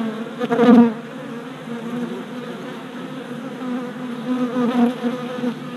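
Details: Orientation flights of worker honey bees at a new deep hive body, 27 April 2017, GoPro Hero Session 5: a loud buzz as one bee passes close near the start, then a steady lower swarm hum, with another close pass later.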